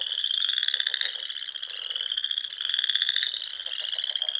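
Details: Frogs singing at dusk in spring among the ponds and small lakes of the rolling Sandhills dunes of Nebraska: a dense chorus of high pulsed trills, overlapping and swelling in bursts of about a second, with no other sounds.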